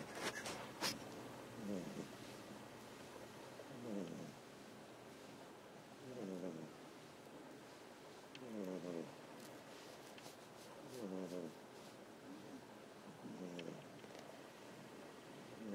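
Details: Ameta, a pet cat dozing on a lap indoors while Kinako lies on top of him, snores steadily with regular buzzy inhale-exhale breaths repeating roughly every two seconds. The room is otherwise quiet apart from faint clicks.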